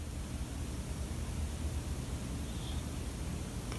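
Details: Steady low room hiss and rumble with no clear animal voice, ending in a sudden short thump.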